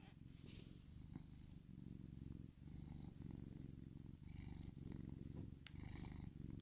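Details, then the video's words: A domestic cat purrs in a steady, low, throbbing rumble, broken by short breath pauses at about 2.5 and 4 seconds, with faint rustles and small clicks above. "More purring cat."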